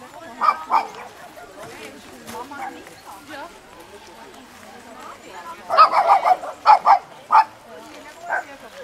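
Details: Tibetan Spaniels at a TSCS breed club gathering at Rabten Choeling, Le Mont Pèlerin: quiet murmuring talk, then a burst of sharp, high barks clustered in a few seconds, with one last yap trailing after.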